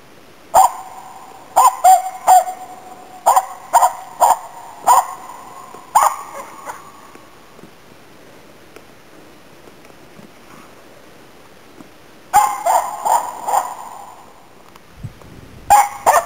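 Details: Finnish Spitz Nella barking on an autumn 2010 bird hunt in Inari, Finland, after waterfowl and game birds; a steady series of about eight ringing barks, six quiet seconds, then a rapid renewed burst with a faint low rumble near the end.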